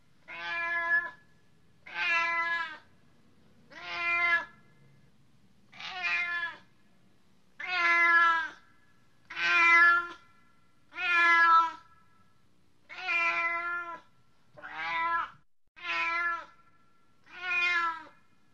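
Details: A cat giving eleven drawn-out meows in a steady series, roughly one every one and a half seconds, each bright and harmonic with a slightly falling end, over a quiet background.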